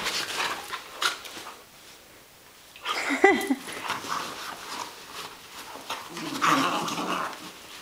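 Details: Catahoula Leopard Dog and Australian Cattle Dog, Bella and Shiloh, play wrestling in June 2010: rough scuffling growls with a brief rising-falling whine in the middle, then more low grumbling and a short yelp, with a person's voice faintly.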